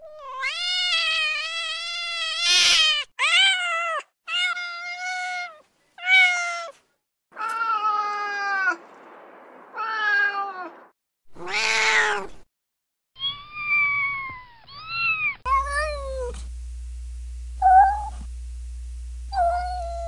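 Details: A string of real house cat meows of varying pitch and length, some short and sharp, others stretched and plaintive, separated by silences. A steady low hum sits under the final seconds. Meant to lure a cat to its owner.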